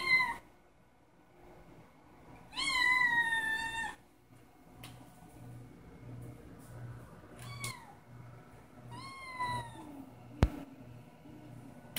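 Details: Kitten waiting for its breakfast meows indoors: a loud drawn-out harmonic meow near three seconds, then shorter falling meows around eight and nine seconds, with a steady low hum and a sharp click.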